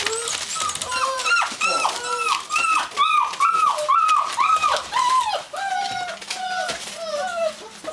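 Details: At the Natolińskie Wzgórza breeding kennel, Gordon Setters whine in a dense chorus of bent, rising-then-falling tones, about two a second, several voices layered, loudest mid-clip before easing into longer, flatter whines.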